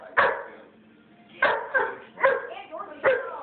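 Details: A Shih Tzu chasing a German Shorthaired Pointer around during play, after about five minutes of chasing; short sharp barks come in four bursts roughly every second, with a brief spoken remark early on.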